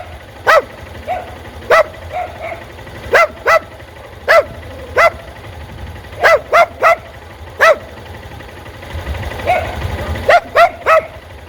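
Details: A dog barks at motorcycles, giving sharp, mid-pitched barks, singly and in quick pairs, at irregular intervals.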